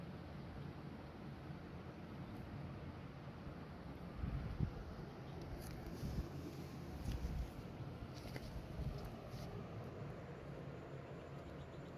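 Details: A quiet, steady low hum, like a fan, with faint rustles and soft bumps, and no clear animal call.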